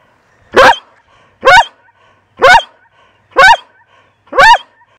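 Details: Dog barking steadily, five loud, sharp barks spaced about one second apart, each clipped and even, with quiet between them.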